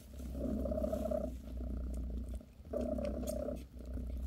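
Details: Close, rich purring from British Shorthair mother Bassy as she massages her kittens: two strong rumbling breaths with a short dip between them, steady throughout.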